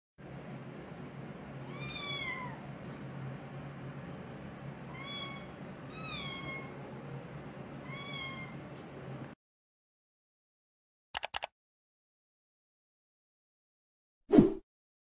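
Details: Cat from the Beben family of kittens and grandkittens, indoors: four clear, drawn-out meows that rise then fall over the first nine seconds, above a steady low hum, followed by brief clicks and a short cry of "Yeah!".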